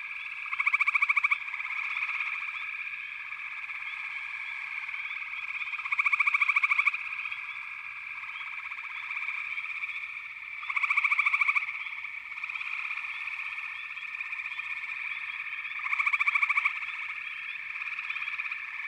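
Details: Massed frog chorus in backwater, an unbroken shrill trilling background punctuated by loud rattling pulse bursts that recur roughly every five seconds, four times in all.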